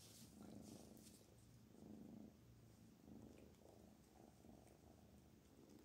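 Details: A pet cat named Black Panther purrs in clear rhythmic pulses. Each rumbling phrase lasts about a second, pausing briefly for breath between them.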